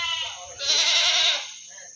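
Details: Goat at the Singosari livestock market, Malang, selling meat goats: one loud, quavering bleat lasting nearly a second, with a trembling, harmonic-rich tone, preceded by quieter murmuring and a steady background hum.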